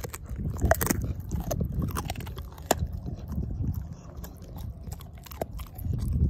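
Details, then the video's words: A dog named Ozzie eating a pork steak and crushing the bone, heard as heavy low chomping with bursts of loud crunches and brief crackling snaps, louder near the start and end. "Dog Eating Pork Steak"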